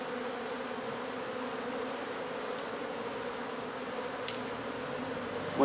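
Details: Low, continuous humming drone of a honey bee hive inside an old house under renovation in Donna, Texas, during removal and relocation of the colony, with only a few faint clicks over the even buzz.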